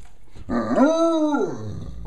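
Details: A female Great Dane howling at home: one smooth, arched, tonal howl lasting about a second, rising, holding steady, then sliding down, with a rich stack of overtones.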